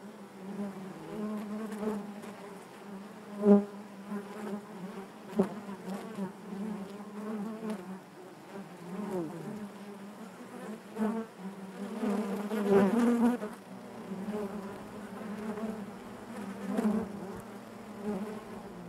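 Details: Steady low buzzing of honey bees within the hive, a constant droning hum with layered overtones, punctuated by short louder buzzes and soft taps, strongest around twelve to thirteen seconds.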